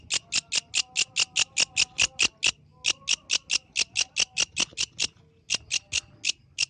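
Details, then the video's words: A yellow grasshopper calling at night sends out quick, high, hissing chirps in bursts, with brief pauses after about ten and twenty pulses before the dry, ticking rhythm starts again. "The Melodious Sound of the Yellow Grasshopper, Authentic from the Night Nature"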